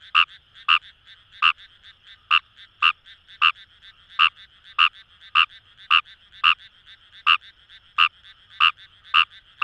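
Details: Kawamura's rice frog in paddy fields by the Kamo River, Fukuoka, Japan: fairly steady, dry croaks about twice a second, with quieter overlapping calls from neighbouring frogs filling the gaps between them.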